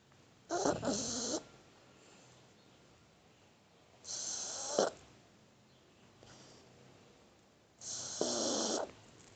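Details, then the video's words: Shar Pei pup dozing in a person's arms gives three loud, raspy snores, each close to a second long, spaced about three and a half seconds apart over a soft steady hiss. "Cachorrito Shar Pei roncando"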